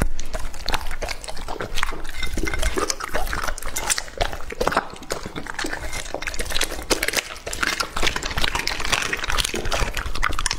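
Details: Lucky the English-type Labrador, two and a half years old, eats raw meat and organs indoors; slurpy, liquid chewing and lapping mixed with crunching, continuous and loud for the whole stretch.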